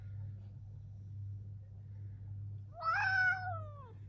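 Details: A domestic cat, said to be in a fight with its owner, gives one drawn-out meow lasting about a second that rises then slowly falls, over a steady low indoor hum.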